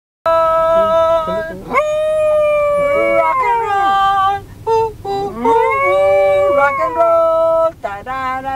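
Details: A dog named Rocco howls in long, sliding, tuneful notes, rising and falling as he sings along to "rock and roll".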